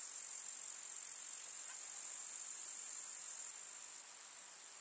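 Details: Meadow grasshoppers on a summer day, continuous hissing high trill of many insects, softening slightly after three and a half seconds.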